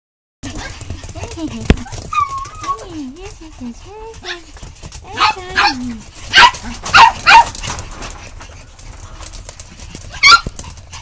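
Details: Cheerful puppies giving thin, wavering whines that slide up and down, followed by a burst of short, sharp yelps and squeaks, with one last yelp near the end; soft background rustle throughout.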